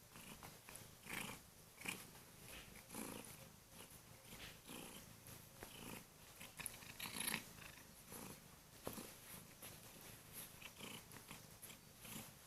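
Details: Female Kurilian Bobtail cat indoors in the morning, jumping onto the bed to wake her owner with loud purring and gentle nibbling of his hands; a steady pulsing purr in regular breath-like surges, with soft rustling of bedding.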